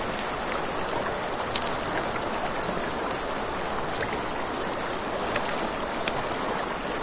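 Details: Crickets chirp in a constant high, rapid pulse on a river bank at night, accompanied by the rush of water and occasional crisp crackling from a campfire.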